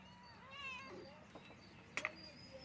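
A Persian kitten gives one thin, high meow that rises and falls, followed by two sharp taps against a quiet room background.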